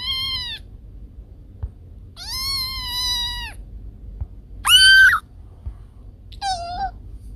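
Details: Cat meowing, presented as a sound to drive away rats: four separate cries spaced over several seconds, high and thin, the third loudest with a sharp bent pitch, over a quiet background.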